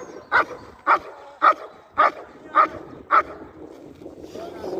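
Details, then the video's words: German Shepherd during IGP competition training gives six sharp, loud barks spaced evenly about half a second apart, then falls quiet while low voices and background noise continue. "Entrenamiento PASTOR ALEMAN de competición IGP"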